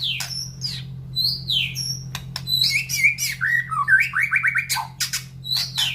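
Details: Caged white-rumped shama in breeding condition, kept in a round cage beside a breeding aviary, singing a varied, excited run of high whistles, sharp clicks and a descending series of slurred notes over a steady low hum.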